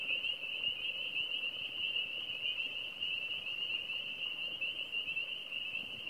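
A frog gives an unbroken, high, steady-pitched trill that buzzes on without pause.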